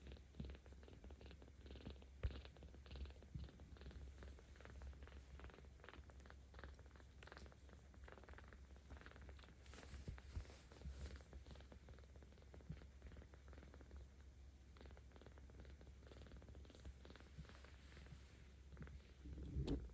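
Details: Purring of Ao, a 17-day-old kitten cared for by cat volunteers in Tama City, Tokyo, on 10 October 2022; the rumble grows when stroked, a continuous deep vibration over twenty seconds with light rustles and taps.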